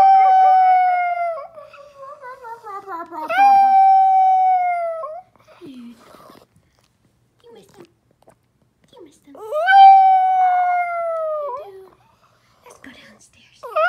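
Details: A dog missing its owners howls in long drawn-out, slightly falling tones with wavering whines between, two main howls about six seconds apart, separated by quieter whimpering.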